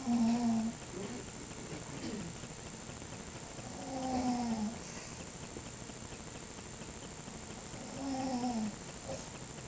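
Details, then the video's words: A sleeping mouse named Scharlett snores in three soft, whistling hums, each under a second long and slightly wavering, spaced about four seconds apart over a constant low background hiss. "Snoring mouse"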